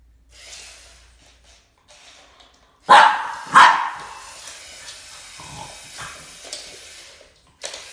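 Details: Max, a Boston Terrier, confronting a snake: after quiet rustling, two loud, sharp barks follow each other under a second apart, then softer noises and a last short sound at the end.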